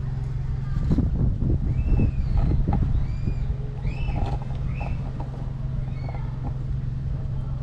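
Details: Stray mother cat with her three kittens, hungry and being fed: short, high, arched mews repeated in quick overlapping bursts, set against a steady loud low engine hum.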